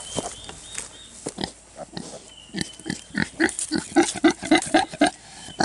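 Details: Two-week-old Kunekune piglets, a rapid series of short soft grunts and squeals that build into a quick, fairly regular run in the second half, with a faint whistle-like tone in the background.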